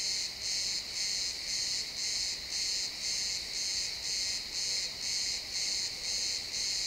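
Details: Crickets in the pine forest at sunset, realtime stereo recording: high-pitched, metallic chirps repeating evenly around two per second, forming a steady pulsing drone over quiet woods.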